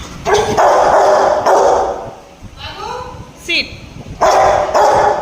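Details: Angry Rottweiler guard dog barking over chicken: loud, harsh barks in short bursts near the start and again at the end, with a person giving commands like sit and hand in Bengali and English.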